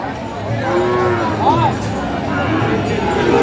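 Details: Cattle, Friesian and cross-breed bull calves, at the Aftabganj cattle market in Dinajpur, Bangladesh, on market day, Tuesday 2 October 2024; a short, low, drawn-out moo rises and falls over steady crowd murmur and chatter.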